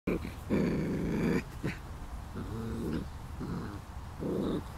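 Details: Almost five-week-old puppies from Lacey's litter playing, giving low rough growling bursts of about a second each, with short yips and squeaks between them and background shuffling.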